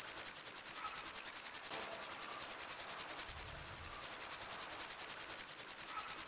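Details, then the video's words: Grasshopper calling with a dense, high, shrill buzz pulsing about three to four times per second. The sound stays steady and unbroken throughout, with no other sounds. "Grasshopper Sounds"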